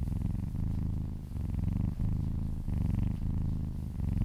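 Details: Close, loud purring from a massaged kitten; dense low buzz rising and falling with breathing, short dips at about two and two-and-a-half seconds.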